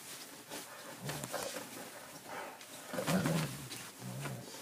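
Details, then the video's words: Two-year-old Irish Setter Declan in his after-meal frenzy: low, throaty grumbling growls come in three short bouts, the loudest near the middle, over faint room noise. "My crazy Irish Setter"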